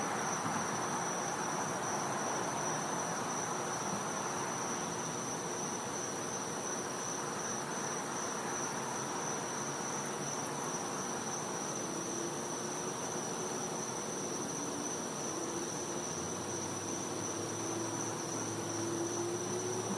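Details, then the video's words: Night-time cicada chorus from a back yard in Florida in winter: an unbroken, even, high-pitched ringing tone over a dense insect hiss, with a low rumble joining near the end. "Cicada Sounds | Florida | Night"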